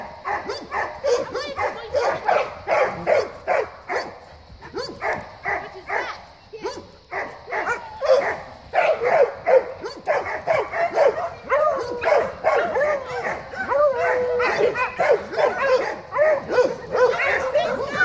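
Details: Dogs greeting one another at play. A dense, continuous chatter of short yelping barks and whiny yips swells and fades, with a human voice at times underneath.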